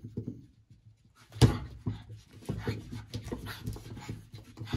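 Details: Playful French Bulldog named Tory, indoors, trying to catch fingers during play; low snorting grunts and huffs come in quick uneven bursts after a sharp knock, with rubbing and shuffling noises in between.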